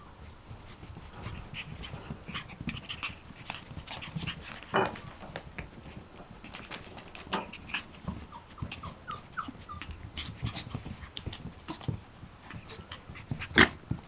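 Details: Yorkshire Terrier puppies, seven weeks old, give soft high whimpers and short squeaks scattered through the recording, with a run of brief rising notes near the end. Panting, snuffling and rustling run underneath.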